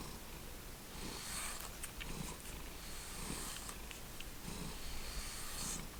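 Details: Pet cat of the Lucky Ferals family, kept indoors with Stella, Splash, Simba, Hydrox and Boo, gives a steady low purr that pulses with each breath roughly once a second, with airy rustling noise overhead.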